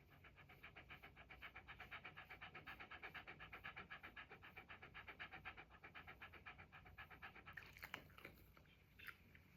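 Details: Red Shiba Inu relaxing on the feet of its owner's mother, panting in quick, even breaths about four per second, soft and close; a short rustle near the end.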